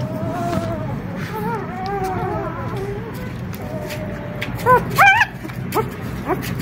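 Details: Rosalie, an experienced mother dog, with her excited four-day-old pups from a litter of four in the puppy room. Soft wavering whines slide up and down, then a burst of sharp, high yelps near the end.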